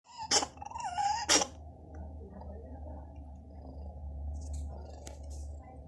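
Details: Domestic cat coughing indoors: two sharp, harsh bursts about one second apart, with a wavering raspy tone between them, then low steady room hum and a few faint clicks.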